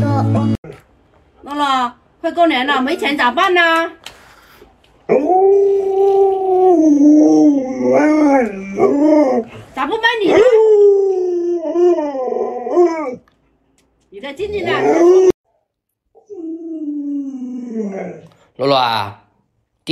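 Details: Alaskan Malamute Luoluo, a pet dog trying to rouse an owner still in bed after sunrise, gives long wavering howl-like moans that rise and fall for several seconds, with short human voice bursts before and after.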